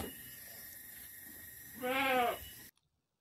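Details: Goat at a village farm in Kampung Manglid, Muncang, Sodonghilir, where mothers gave birth to six kids in one day; one wavering, nasal bleat of about half a second rises out of a steady low hum, then sudden silence.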